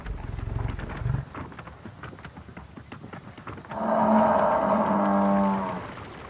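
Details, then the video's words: Wild buffalo in a savannah setting gives a drawn-out, tonal, mooing bellow lasting about two seconds, steady and slightly wavering in pitch, preceded by softer low thumps and rustling background noise. "The sounds of buffalo in the wild."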